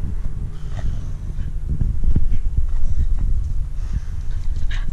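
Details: Staffordshire Bull Terrier bitch guarding her stick, rumbling a low, throaty growl that swells and pulses unevenly, with a man's voice heard just afterwards.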